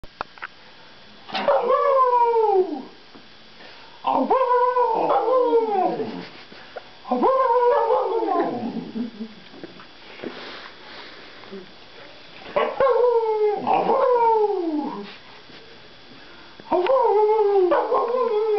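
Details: Lucy, a Bernese Mountain Dog, sings in a sing-off, giving long wavering howls that rise and then slide down in pitch, five drawn-out bouts with short pauses between, the last cut off at the end.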